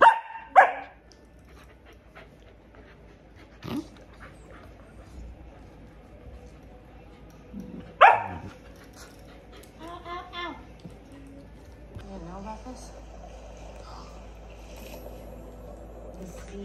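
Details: Corgi kept as a house pet, barking at the road out front while its owner works from home; two loud, abrupt single barks about seven seconds apart, followed by fainter softer yaps and quiet room noise.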